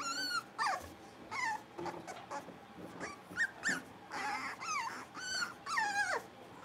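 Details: Blenheim Cavalier King Charles Spaniel puppies, a litter of five born at New Year, playing in an indoor puppy pen; high, wavering whines and short yelps in bursts, some sliding downward, with quiet room noise between.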